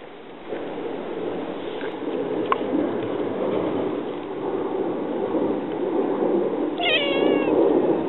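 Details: Domestic cat at home with a sleeping male Siamese in a basket and a black-and-white female approaching; a single harmonic, gently falling meow near the end over steady rustling and soft background noise.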